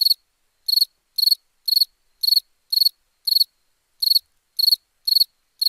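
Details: Short, shrill cricket chirps at night, steady at about two per second with one slightly longer gap midway. Each pulse is clean and high-pitched against total quiet.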